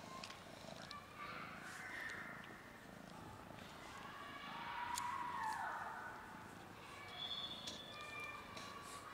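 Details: Domestic cats, part of a friendly cat family alongside a frightened cat that will not eat, make a soft arching meow that rises then falls, heard clearest midway, with low murmur and hiss behind.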